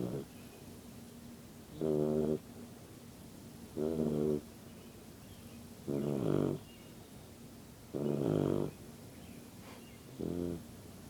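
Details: Sleeping yellow Lab puppy snores steadily, each short, throaty, buzzing snore arriving about every two seconds in a regular rhythm, separated by soft, near-silent pauses.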